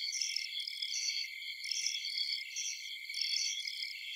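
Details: Many insects, bugs and crickets call together at night in a forest, high shrill trills layered into a continuous chorus, brighter pulses swelling and fading about every second and a half above a constant buzzing hum.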